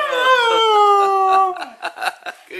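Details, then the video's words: Mishka, a talking husky, during the polar vortex: a drawn-out, moaning, howl-like vocalization held steady for about a second and a half, then breaking into short, choppy, yowling syllables, recorded close up indoors. "Mishka the Talking Husky"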